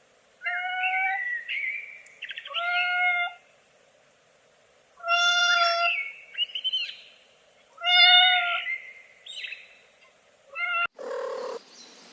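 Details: Kittens playing on green grass give high, clear meows in short bursts, some rising then falling, about five calls spaced irregularly, ending with a brief rustling noise.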